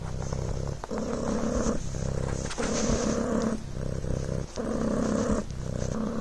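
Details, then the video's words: Devon Rex kitten named Coco purring on a blanket: a steady low buzzing rumble that swells and dips in alternating phases roughly every second, following each breath in and out. "PURRING BLANKET"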